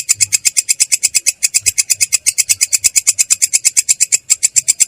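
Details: Katydid (belalang kecek) in ngerol style, a continuous rolling song, clear yet coarse: sharp buzzy pulses high in pitch, about seven each second, steady and unbroken throughout.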